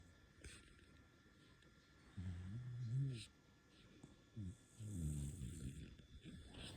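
A sleeping puppy snores in low, rumbling breaths with brief pauses between them.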